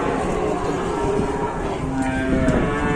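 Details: Cattle arriving at a market for slaughter give a long, low, droning moo with steady stacked harmonics that hold for about three seconds over a constant background rumble.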